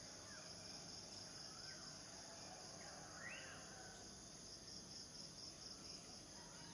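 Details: Unvarying high-pitched cicada drone sounds throughout, with a few faint bird chirps and short rising whistles scattered over the steady buzz.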